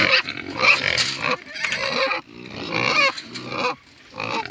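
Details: Wild boar piglets digging around and learning to find food by following their mother, giving loud, harsh high-pitched squeals and grunting bursts in rapid succession with brief pauses between them.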